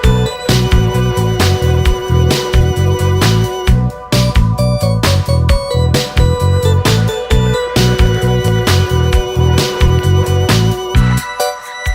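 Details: Loud upbeat funk-style electronic music with a strong bass beat and rhythmic chords fills the whole stretch, with no animal sound audible.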